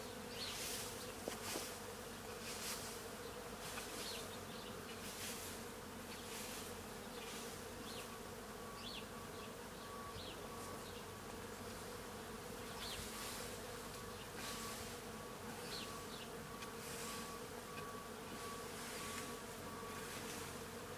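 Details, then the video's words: A steady, dense hum of many bees feeding on tree flowers at a farm, with wingbeats rising and fading throughout. "Bees-the sound of many bees eating"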